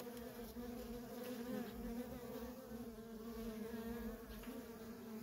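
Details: Worker honey bees of a feral colony busy in constant flight, producing a thick, even buzzing drone with two strong low tones and gently pulsing loudness.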